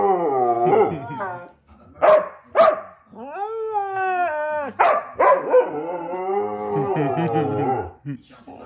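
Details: A Siberian Husky 'talks' in a long run of whiny, howl-like sounds that slide up and down in pitch. Two short sharp yelps come near the start, and a held, wavering tone sits in the middle.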